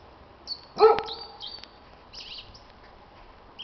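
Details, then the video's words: A dog gives one short, bright bark or yelp during an evening spring duet with a singing blackbird, whose faint high whistled phrases are heard, on 26 March 2010. "z wstawkami w wykonaniu psa"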